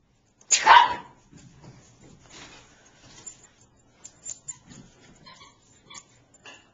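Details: Niqqi, a pet Bichon Frise, barks to beg for her squeaky toy to be thrown. One sharp, loud bark comes early, followed by quieter rustling, soft thumps and faint high ticks.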